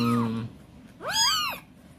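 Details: Small kitten whose mother went off and left it, Palembang, Indonesia, being fed milk: steady background music at first, then one arched, plaintive meow that climbs and drops over about half a second.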